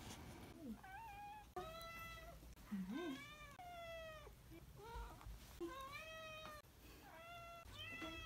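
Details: Tybalt the cat greeting at homecoming with his welcome home meows: a run of drawn-out, harmonic-rich meows, some rising then falling, repeated one after another with short gaps, plus lower brief sounds between them.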